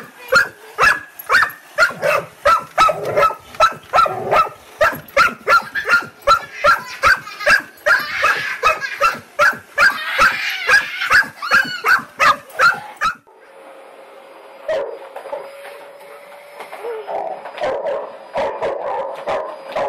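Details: Dog barking at a vacuum cleaner: a rapid run of sharp, loud barks, about two or three a second, for thirteen seconds, then a steady machine hum with faint whines.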